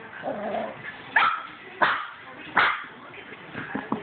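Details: Cavalier King Charles Spaniel puppy barking three times in about a second apart, short sharp yappy barks, with quiet voices and room noise between them.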